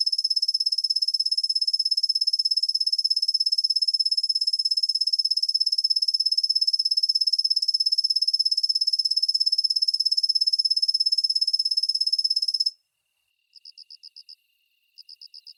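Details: High, continuous ringing trill of a kusa-hibari cricket (Svistella bifasciata), a soft-voiced species heard mostly from dawn into the morning; the trill runs unbroken for about twelve seconds, stops, then resumes as two short pulsed bursts.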